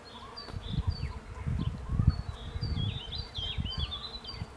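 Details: Bees gathering pollen from a cherry tree, giving a steady low droning hum under bursts of rumbling wind, while small birds chirp and twitter high above throughout.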